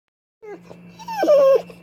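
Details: Pit bull excited at meeting a squirrel: a few short whines, then a higher drawn-out whimper sliding slightly downward, over a steady low hum.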